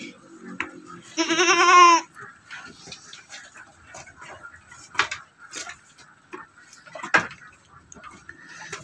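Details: Ordinary Javanese goat kept by an Indonesian goat farmer and fed on grass; one loud, quavering, nasal bleat lasting about a second near the start, then scattered knocks, clicks and faint talking.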